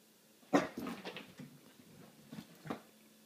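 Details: Pet dog frightened of an apple, indoors in a small room; a sharp yelp-like cry opens, followed by softer whimpers and a few brief whines, then a short woman's apology about the apple.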